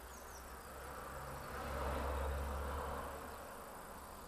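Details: Male red mason bees that roosted overnight in empty nest holes in dry floral foam, waking early at sunrise and chasing females; a low humming buzz swells midway, peaks for about a second, then fades against steady background hiss.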